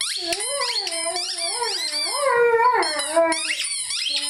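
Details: Pet Rhodesian Ridgeback Lyle howls along with his favorite squeaky toy, a continuous undulating howl swooping up and down repeatedly, overlaid by higher squeaky tones throughout.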